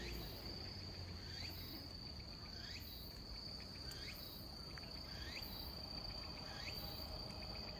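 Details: Robust cicada (tsukutsuku-boshi) singing slowly in autumn on 27 September 2021 at 17:34, possibly weakened; rising upswept phrases with short stuttering notes, repeated about every 1.4 seconds over a constant high insect hum.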